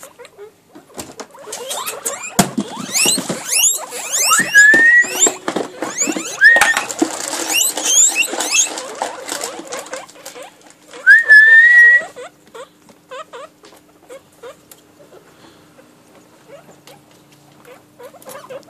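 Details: Pairs of pet guinea pigs kept at home give busy squeaky chatter with sharp chirps, plus several clear rising whistled squeals, the longest near the end, over rustling and patter.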